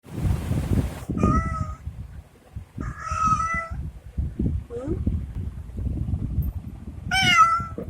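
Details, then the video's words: Domestic cat giving several short, sweet-toned meows, some rising then falling, spaced a few seconds apart, while a woman speaks softly and affectionately in Hindi almost throughout. "Sweet voice of cat"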